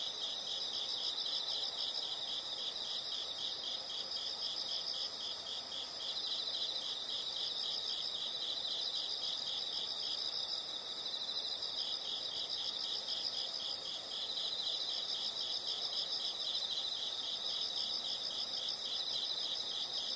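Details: Insects chirping in a steady, dense high-pitched chorus of rapid pulsed trills, continuous throughout with no other clear sounds.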